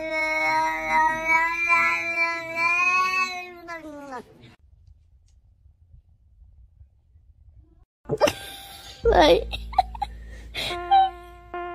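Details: Domestic cat giving a drawn-out, steady yowling meow for about four seconds that drops away at the end, followed by a pause and then bursts of music and voices.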